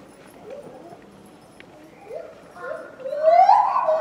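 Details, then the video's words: Lar gibbon Mitsu, captive at Tama Zoological Park, February 2020: a run of short rising hoots, spaced unevenly, building into a loud, long upward-sweeping whoop at the end. A faint murmur sits underneath. "鳴くシロテテナガザル「ミツ」（多摩動物公園） Lar Gibbon Voice"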